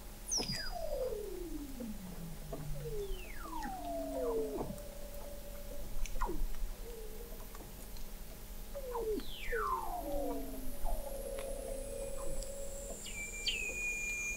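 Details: Weddell seal vocalizations from 21 m under sea ice at McMurdo Sound, Antarctica, November 2017; eerie descending glissando whistles sweep down repeatedly, some ending in low tones, with a high falling trill near the end.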